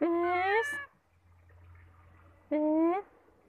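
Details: Domestic cat during a bath: two short harmonic meows, each rising then bending, about two seconds apart, with a low room hum between them.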